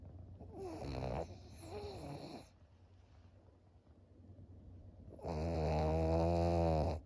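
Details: Maria, a 13-year-old senior fawn female pug kept as a pet in Japan, snoring in July 2023: two short, rasping, harmonic snores, a quiet breathing pause, then one long, loud, buzzy snore lasting about two seconds.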